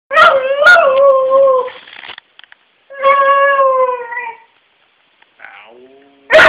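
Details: Fritz the dog gives two short yelps, then holds a long, steady, tonal howl. After a pause comes a second drawn-out howl that wavers slightly. A brief whine and the start of another cry close the clip.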